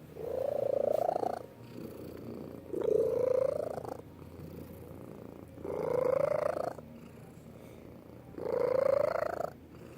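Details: Domestic cat making a purring, voiced hum during contented contact, holding with its paw. Four drawn-out tonal pulses rise slightly, each lasting over a second and repeating about every two and a half seconds, with quiet gaps between.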